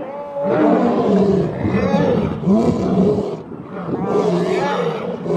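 Male lions roar with deep, throaty, drawn-out moans that swell and fade in long bouts.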